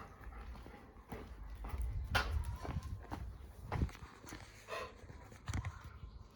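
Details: Labrador Retriever lapping water, soft wet splashing laps in irregular bursts, some thumps, with a woman speaking gently to the dog.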